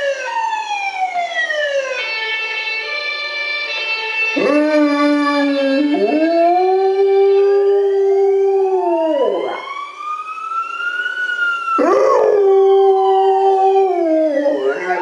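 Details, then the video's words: Golden Retriever howling along with sirens: long, sustained, wavering howls held at a steady pitch and bending down at the ends, while a loud siren sweeps up and down alongside throughout. "Golden Retriever howling with sirens"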